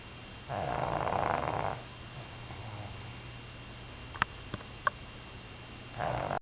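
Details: Deep in sleep, Rin the Pug, a female aged one year three months, lets out a long harsh snore of over a second, then a quiet pause with a few faint clicks before the next snore begins.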